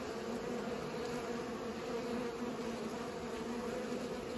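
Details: Steady humming of bees at work pollinating, a thick two-layered drone that runs without pause through the short stretch.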